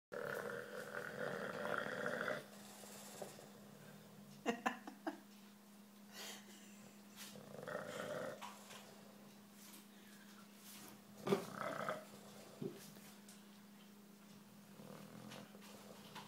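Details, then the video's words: Bulldog snoring during nap time, a low droning rasp with a steady hum underneath, swelling into louder rough breaths around every few seconds, with a few clicks and shuffling noises between. "Bulldog snoring"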